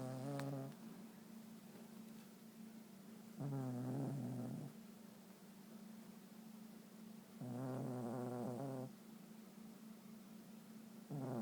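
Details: Sleeping pet dog Fridolf snores in drawn-out, rattling breaths roughly every four seconds, four bursts heard, with a constant low hum underneath between them.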